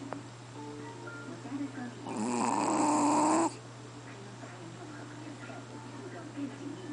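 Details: Sleeping Chihuahua named QBY snoring louder than a person: one drawn-out, rasping snore lasting about a second and a half, with a whistling tone inside it, set against a steady low electrical hum.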